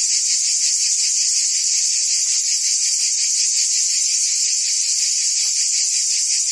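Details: Forest cicadas in the trees give an unbroken shrill buzz with a quick rhythmic pulsing, holding the same loudness from start to finish.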